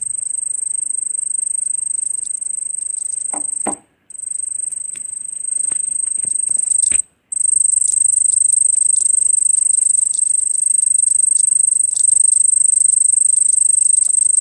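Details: Cricket trilling continuously in a steady high-pitched ringing drone, broken by two short silent gaps, with a few faint knocks and taps early on.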